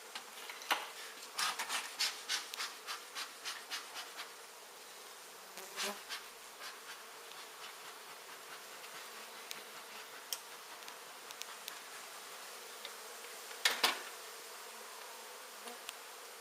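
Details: Indoor honey bee colony being removed from a wall and relocated. A steady background buzz of many bees runs under repeated sharp tapping and scraping clicks, clustered early and again near the end.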